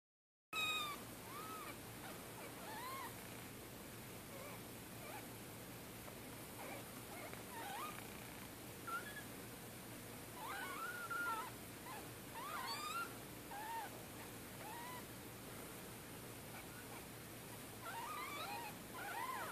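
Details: Four orphaned kittens, two to three days old, their mother killed by a car in Middletown, being bottle fed; thin high mewing cries, arched and rising-falling, come in scattered bursts over steady background hiss.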